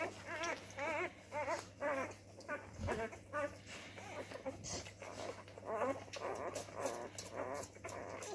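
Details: A male Labrador Retriever puppy discovering his voice gives a run of high, wavering yips and whiny little barks, about two a second.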